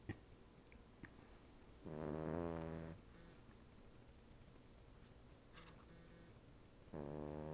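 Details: Indoors on a couch, a sleeping female Cavalier King Charles Spaniel with a Siamese cat napping near her snores twice, a rough droning breath about a second long, then another starting some five seconds later, with a couple of faint knocks.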